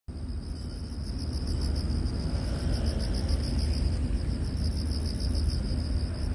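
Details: Long-headed grasshopper, Korean name Bang-a-bi, Acrida cinerea: a high, thin pulsed buzz in two bright bands, beating quickly and steadily throughout, over a heavy low rumble of background noise.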